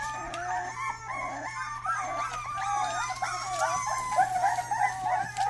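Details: Rottweiler puppy giving its first barks: a quick run of high, yelping barks that often bend up and down in pitch, about three or four a second, over a steady low electrical hum.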